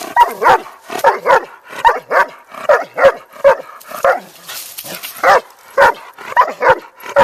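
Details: Large Doberman, about a hundred pounds, yelling into the ears of other dogs who ignore him; rapid run of roughly fourteen loud, somewhat yelping barks with bending pitch, spaced under a second apart.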